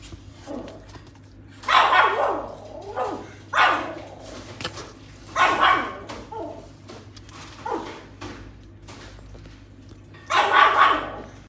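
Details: Female puppy wearing a white collar gives about six short, sharp barks and yips spaced a second or two apart, some loud, some softer, over a faint steady indoor hum.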